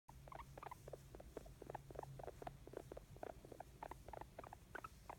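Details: Pet guinea pig making happy sounds indoors: soft, quick chirping and clicking ticks pattering in rapid irregular bursts, quiet and close, over a low steady background hum.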